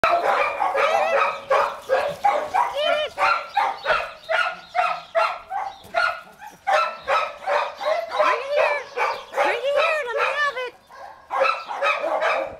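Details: Bluetick Coonhound, a shelter dog up for adoption, recorded 21 January 2013, giving a rapid run of short, harmonic-rich barking bursts, roughly two or three per second, with brief pauses between bouts.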